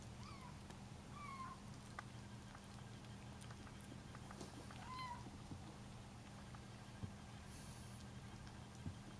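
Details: Bengal kittens indoors, meeting salmon for the first time and finding its smell strange but loving it, give three short, high meows, the last slightly rising then falling, over faint clicking, chewing noises and a steady low hum.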